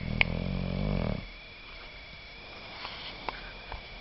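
An English Bulldog gives a deep, rattling snore lasting about a second before the room falls quiet.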